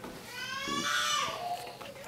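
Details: Two-day-old Australian Labradoodle Cobberdog puppies from a 2015 litter born to Misty and Tucker, indoors; one puppy gives a single high, tonal squeal that rises and then falls over about a second, in a quiet room.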